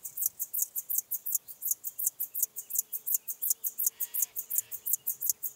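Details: Song of Chorthippus apricarius at Moosham, Austria, in October 2020: rapid, regular high-pitched rasping pulses, nearly three each second, with a faint soft hum beneath.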